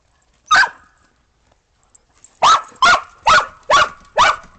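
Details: Australian Shepherds and a Boston Terrier romping in snow after a December 2022 snowstorm before breakfast; one bark, a pause, then five loud barks in a quick, steady run.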